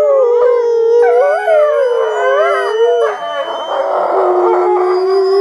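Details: Several wolves at an animal preserve on a snowy day howling together in a loud chorus: long sustained tones with overlapping voices sliding up and down and wavering, one steady lower howl holding at the end.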